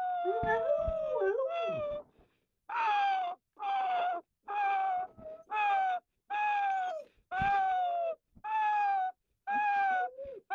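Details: A 12-month-old Rottweiler sings in the morning, opening with a long wavering howl that dips and rises, then about eight clipped, even-pitched howled notes spaced roughly a second apart, clear and harmonic with little background.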